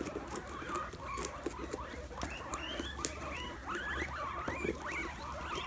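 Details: Several guinea pigs munching pumpkin, busy crunching and patter with dense overlapping short squeaks that rise and fall, growing more frequent toward the end, over a low background hum.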